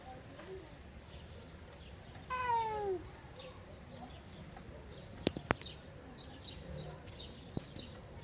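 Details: Hungry tabby street cat asking for food gives one clear, drawn-out meow that starts high and slides downward in under a second, over low street rumble with a few sharp clicks afterward.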